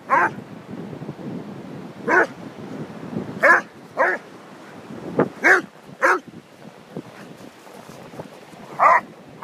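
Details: Orla the Whippet and Peter the Basset Hound playing at Holkham Beach; around nine barks come irregularly, some single, some in close pairs, rising from a busy, breathy background of lower noise.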